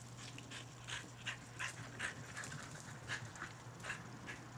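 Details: Skid, a red and white Border Collie, pants in quick rhythmic breathy bursts, about eighty per minute, during a game of fetch, with a steady low hum beneath and a handler's voice nearby.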